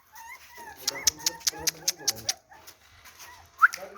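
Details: A puppy offered for sale in India gives short, high whimpers, one rising cry near the end. A rapid run of sharp clicks and human speech fill the middle.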